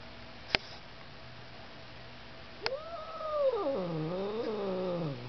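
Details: Domestic cat attacking a vacuum cleaner indoors: after two sharp knocks, a drawn-out, wavering yowl rises, then sags and bends in pitch for about two and a half seconds, with a low steady hum underneath.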